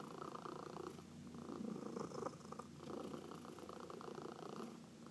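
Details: Indoor pet cat purring during a massage, one of four cats in the household; dense, even rumbling purr with a soft throaty texture, barely varying in loudness, gentle fur-stroking noise behind it.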